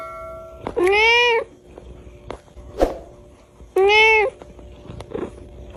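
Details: Domestic cat meowing: two clear, rising-then-falling harmonic meows about three seconds apart, each lasting roughly half a second, over a steady background hum and soft music.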